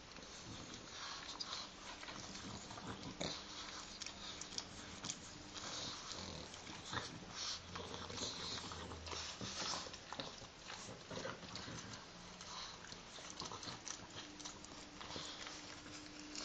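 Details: Two pet pugs lick each other during their joint morning wash. Steady wet smacking is broken by snuffling breaths and a longer low snort in the middle.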